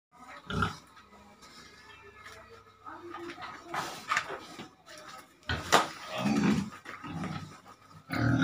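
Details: Farm pig raised on feed, heard in harsh, noisy bursts of grunting and squealing, several loud outbursts separated by quieter stretches, with a faint low steady hum underneath.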